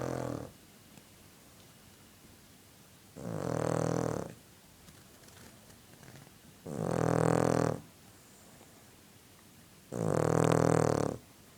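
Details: Sleeping dog snoring: three long, rough, harmonic-rich snores, each about a second long and spaced roughly three seconds apart, with quiet breathing pauses between.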